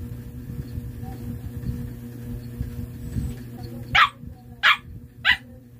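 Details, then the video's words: Siberian Husky barking in answer to a question about a playing card's number: three short, sharp barks about two-thirds of a second apart after a low hum and quiet background. "THIS DOG ANSWERS ABOUT A PLAYING CARD"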